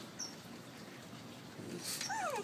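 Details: As its owner asks whether it is hungry, a Basenji gives a brief, tonal howl that slides steadily downward in pitch.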